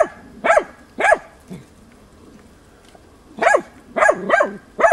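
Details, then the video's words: Tina, a hunting dog in training on wild boar, barks at young boar on 6 March 2013: two sharp barks, a quiet gap of about two seconds with a low grunt, then a quick run of four barks. "TINA JANIORSKA odlicno goni i uporno oblajava d.nazimad"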